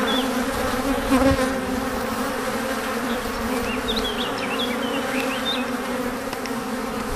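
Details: Honey bees returning to their hive after gathering nectar and pollen, a loud, dense, continuous buzz of many bees with steady hum bands and brief higher whines of individuals flying past; faint chirps of birds high above.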